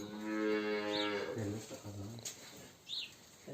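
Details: Simmental cow kept indoors on a farm, one of two cows in silent heat given a vaginal device before insemination; a strong, tonal moo of just over a second opens, followed by quieter murmurs and a person's voice.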